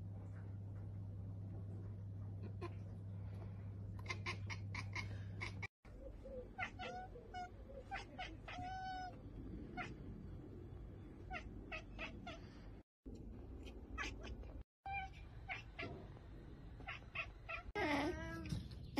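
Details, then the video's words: Domestic cat chattering at a bird or insect it cannot reach: short bursts of high, clipped chirps and warbling calls, with brief gaps of silence between segments, over a steady low hum in an indoor room. "cat kekeke / cat / cats / cat sound"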